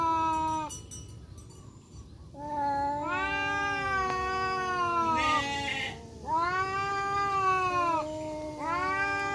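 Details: Black and striped male village cats confronting each other in woodland, trading continuous yowling growls: several long wavering wails, rising and falling in pitch, overlapping and following one another with short breaks.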